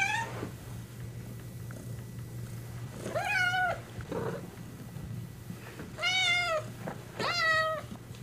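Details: Kittens meowing indoors: a short meow at the start, then three loud, clear harmonic meows that rise briefly and fall, each under a second long, separated by quieter gaps with a low steady hum beneath.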